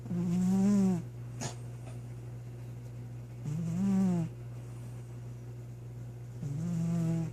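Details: Domestic cat passed out asleep indoors, snoring heavily: three low, voiced, slightly rising snores, each about a second long, coming roughly every three seconds over a constant low electrical hum.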